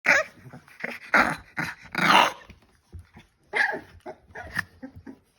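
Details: Staffordshire Bull Terrier puppies at play indoors, giving a run of short, rough barks and growls in bursts of about one per second, broadband and harsh, with brief quiet gaps between outbursts.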